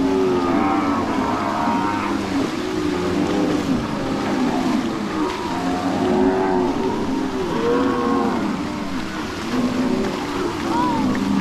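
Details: A herd of about 800 cows and bulls crossing a creek in the Arauca plains while being driven by ranch hands. Many overlapping moos, some wavering and some rising, low continuously with no pauses throughout.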